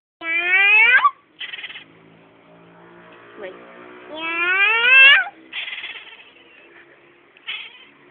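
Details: Domestic cat meowing while its owner talks with it: two long, loud, rising meows, each about a second, separated by short breathy noise bursts and quieter gaps.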